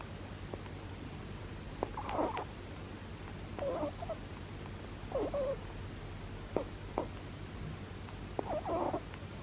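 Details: Sleeping pet rabbit snoring: soft, breathy, noisy snores come in short bursts roughly every one and a half to two seconds. The sound is quiet, with a faint steady low hum underneath.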